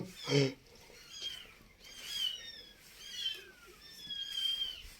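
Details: Domestic cats: a mother cat has moved her kittens to a new spot indoors. Thin, high, short downward mews repeat several times, with a woman talking over them and a brief loud knock near the start.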